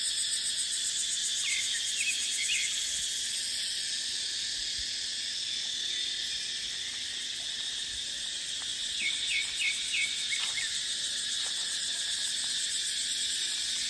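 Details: Dry-season cicada chorus in dry dipterocarp forest, a continuous hissing high drone with rapid throbbing pulses, broken by short clusters of small bird chirps near the start and again around nine to ten seconds, plus faint ticks.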